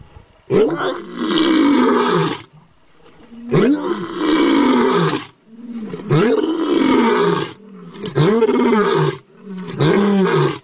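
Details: A tiger roaming in the wild gives a series of deep, rasping roars, each lasting over a second with short pauses.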